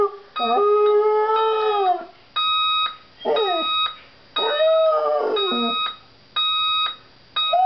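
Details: Domestic dog howls at an alarm clock, its wavering, rising-and-falling howls alternating with whimpery yelps between regular bursts of high steady electronic beeping roughly every second.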